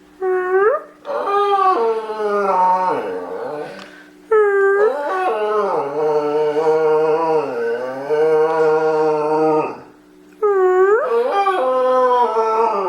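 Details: Pet dog indoors howling on command to sing, with long wavering howls that slide up at the start, holding roughly three to five seconds each with brief breaks, and a steady low hum underneath.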